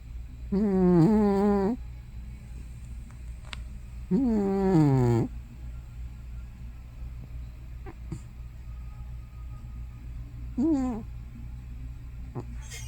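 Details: Hana, an elderly cat probably over 15 years old, makes loud sounds in her sleep, like snoring or sleep-talking. Three drawn-out, wavering, moan-like tones, the second one falling, are separated by quiet stretches with a low steady hum behind them.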